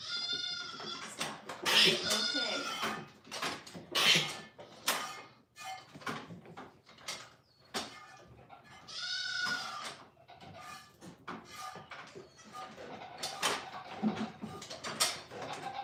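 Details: Goat at The Willful Goat Farm & Home, a female reported as not eating, gives several loud wavering bleats, with a woman talking to it between calls and music in the background.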